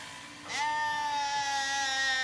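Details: A high, drawn-out bleat that rises quickly and then holds steady. Recorded at a Zwartbles farm in County Kilkenny, Ireland, as late-born lambs call, not recognising their freshly shorn mother.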